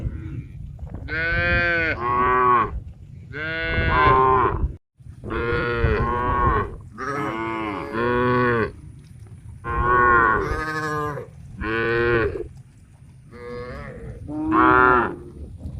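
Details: Thousands of tame cows heading for a green grass field to feed; a dense run of loud, rich moos, roughly one every second or two, some overlapping, with a low rumble beneath.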